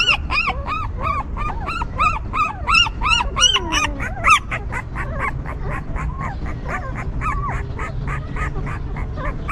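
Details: Whimpering newborn puppies cared for by their stray mother: quick, bowed, squeaky cries tumbling over each other, one longer sliding whine midway, then the calls thin out and grow softer toward the end.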